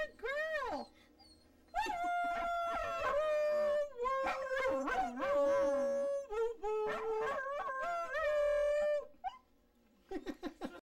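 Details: Dachshund performing its 'singing': a brief arched yelp, then a long unbroken stretch of drawn-out, wobbling howls shifting in pitch for about seven seconds, ending in a few short, quiet yips.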